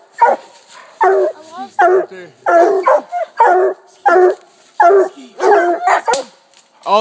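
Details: Coonhounds (walkers, blue tick, black and tan) barking up a tree at a raccoon; loud harmonic barks repeated a little over once a second, several dogs overlapping, a sharp click near the end.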